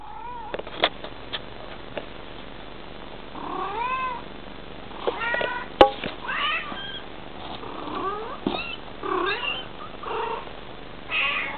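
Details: Bengal cat (Felis catus), chirps and meows: mother communicating with her kitten.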